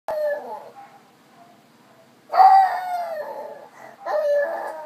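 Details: Dog named Phoenix howling and crying while left alone; wavering tonal howls with harmonics, one long note, a quieter gap, then a louder rising-falling howl near the middle and another toward the end.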